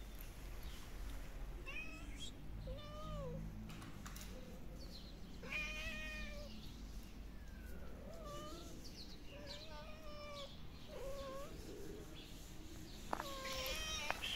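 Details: Hungry stray kittens meow at feeding time on the street, giving repeated short wavering cries, each bending up then down, about every one to two seconds, over low background hum and scattered clicks.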